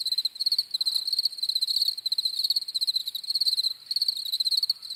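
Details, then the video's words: Crickets chirping steadily: rapid trains of high, pulsed chirps in quick bursts, with several callers overlapping and a brief pause between some bursts. "CRICKETS CHIRPING SOUNDS"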